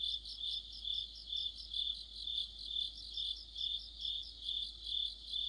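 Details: Autumn cricket chorus with other insects near a streetlamp: bright, high, pulsing chirps repeating steadily about twice a second, several callers overlapping in a dense ringing texture.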